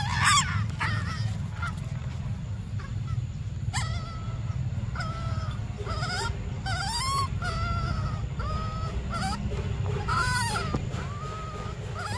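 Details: Baby monkey Briar crying for milk: short arched whimpering cries near mid pitch, some with sharp upward bends, scattered over steady low rumbling background noise.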